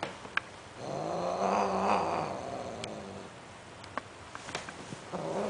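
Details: Sterilized Greek short hair and Siamese cats mating: one low wavering moan swelling for about two seconds, then faint clicks and small knocks in a quiet room.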